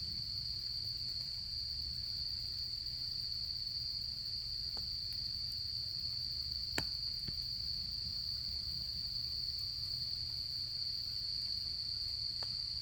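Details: Autumn insects at a campsite, with a steady high continuous trill running unbroken throughout, over a low rumble, and a few faint crackles from a campfire.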